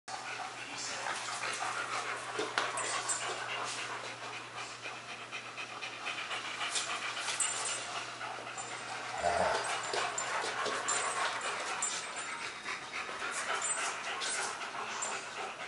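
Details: Two German Shepherds, Max and Ace, playing on September 14, 2015; rapid, breathy, irregular panting runs throughout, with a brief low thump near the middle and a steady low hum underneath.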